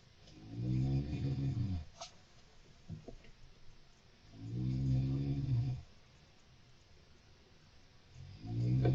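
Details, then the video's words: Mochi, a golden hamster kept as a pet, heard at night: low, rumbling snores in long swells of about two seconds, rising and fading roughly every four seconds, with faint clicks between breaths. "Live Hamster Play & Soothing Snores"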